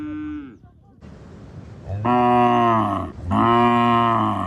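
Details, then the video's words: Cow on a village farm mooing loudly: a short falling call at the start, then two long, deep, droning moos, each about a second, separated by a brief pause. "cow loud noise"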